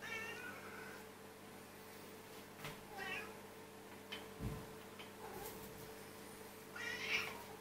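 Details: Cats begging for food during their daily routine: fainter, scattered meows at the start, middle and end, with thumps and clatter between them.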